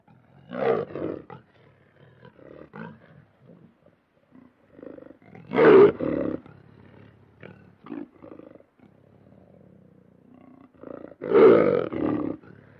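A lion gives deep, rasping growls and snarls in bursts about every five seconds.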